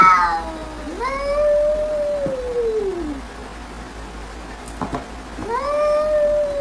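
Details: A domestic cat (Felis catus) gives long, drawn-out meows that rise, hold, then slowly slide downward.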